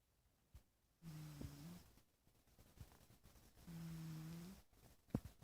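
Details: A sleeping little cat snoring indoors: two low, droning snores about a second long, steady in pitch, separated by a quiet pause, with faint clicks between them.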